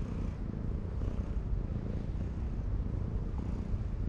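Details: Purring of a ginger tabby cat being petted on a seaside breakwater, a continuous deep pulsing rumble without breaks, with soft background hiss throughout.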